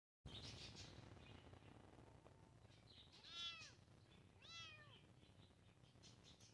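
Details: Kittens meowing: two short high arched mewing calls around the middle, the first faint and the second clearer, over steady background hiss.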